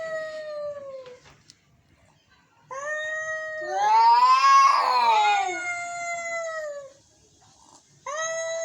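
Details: Angry cats meowing: drawn-out falling meows and a rising, swelling yowl where two voices overlap and clash, then a fresh meow starting at the end.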